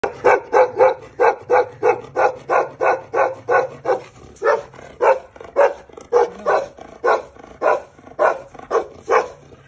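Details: Bakarwal dog, also called Gaddi dog, barking steadily in a long run of short, sharp, mid-pitched barks, about two to three per second, evenly spaced and strong throughout, with a low hum underneath.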